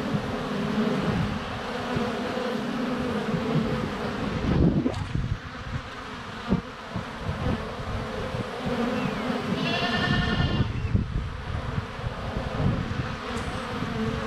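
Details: Honey bees buzzing at a hive entrance on a sunny February day, GoPro Hero 7 Black less than a foot away; constant low hum of wings, interrupted by a loud goat bleat partway through and a few knocks.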